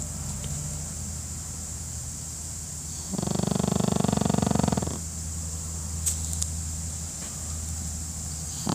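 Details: A Pekingese dog snores while napping, letting out one drawn-out, buzzy, rasping breath of nearly two seconds, followed by calm silence and a faint background hum.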